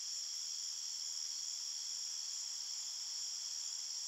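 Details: A short stretch of forest crickets chirping at night, an even, piercing high-pitched trill of overlapping tones running continuously without gaps or background sounds.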